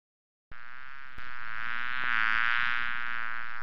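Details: Continuous bee buzz kicking in sharply at half a second, a smooth nasal drone with layered overtones, growing a little louder and faintly wobbling in pitch before holding steady.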